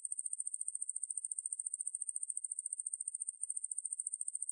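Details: Ruspolia lineosa coneheaded katydid (왕매부리), from the National Institute of Biological Resources, 2020: a continuous high-pitched buzzing trill of rapid, even pulses throughout, with no other sounds.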